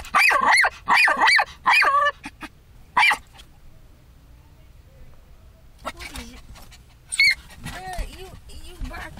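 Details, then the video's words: A pet dog barking at everything: a rapid burst of sharp barks in the first two seconds, another at three seconds, then a lone bark near seven seconds, with people talking in Spanish between them. "My great grandma dog BARKING lol"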